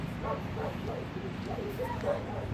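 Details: Black Shepherd, likened to a German Shepherd, outdoors while playing fetch: a few short, muffled barks spaced about half a second apart over low rumbling background noise, with a man speaking nearby.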